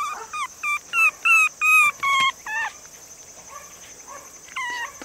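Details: Male long-haired Chihuahua puppy in Nara, Japan, 48 days old, cream and white, about 480 g; a rapid series of high, thin whimpers, roughly six in two seconds, then a quieter pause with faint whines and one final cry.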